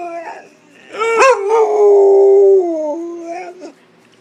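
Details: Pit Bull howling in a contest with a man: a rising yelp breaks into one long, steady, mournful howl held about a second and a half, then tapering off lower with a brief final whimper.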